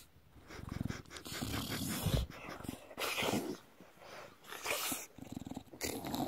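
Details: Belly rub on a bulldog drawing out a run of low rattling growls and snorty grunts, pulsed and irregular, with brief breathy gaps and rubbing noises throughout.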